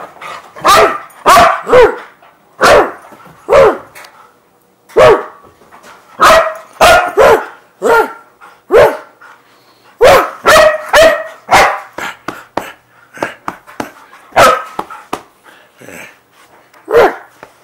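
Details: A Siberian Husky doing excited zoomies on a bed gives a run of sharp, excited barks and yips, with a person talking nearby.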